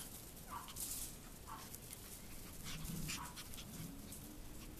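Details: AKC Chihuahua puppies at play outside on a warm February day, giving soft high whimpers and squeaky yips in a loose, irregular series, with a low rustling hum underneath.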